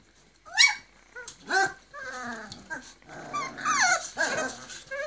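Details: Forty-day-old Griffon pups, three male and four female, in Cairo, Egypt: loud rising squeals and bent whining notes, several puppies crying over one another in quick succession.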